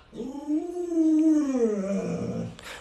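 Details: Alaskan Malamute pet Lolo produces a quiet, rounded howl that swells upward, levels off and sinks in a slow curve, ending with a short noisy burst.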